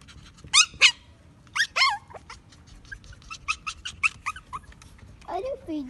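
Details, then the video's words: Maltese dog giving high-pitched yips and whimpers: two loud harmonic yelps near the start, then a quick run of short sharp yips, closing with a falling whine over a low steady background rumble. "Do Maltese Dogs bark alot?"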